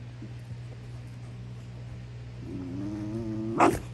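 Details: Basenji Prisca, a female, acting tough with wild-dog-style squealing: after quiet low hum, a thin drawn-out whine rises and holds for about a second, ending in a sharp, louder yelp.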